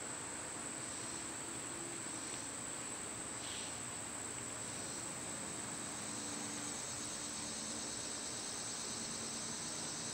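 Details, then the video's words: High steady buzzing of summer cicadas carries on without a break, joined by several short rasping bursts and a faint low hum in the background. "Cicada sounds"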